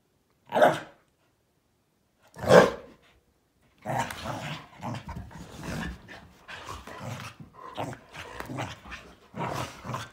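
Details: A Malinois, an Akita and a Corgi at daily morning play; two loud, separate barks open, then a continuous tussle of rumbling growls, snarls and yips follows until the end.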